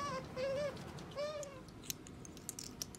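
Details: Pet otter kept at home giving two or three quiet, arching whines, followed by scattered light clicks and taps.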